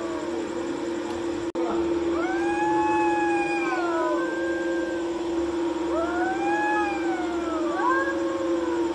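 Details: Two cats fighting on a courtyard wall at night: long, wavering yowls that rise and fall in drawn-out arcs, several overlapping, over a steady low electrical hum.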